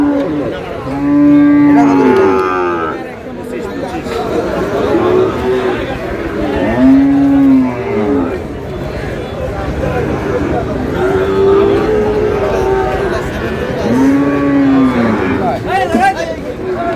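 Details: Sahiwal bull calves purchased by a farmer in Chattogram on 28 August, lowing repeatedly: several arched, droning moos roughly every five to six seconds, some overlapping from different calves, amid a busy hum of talking people.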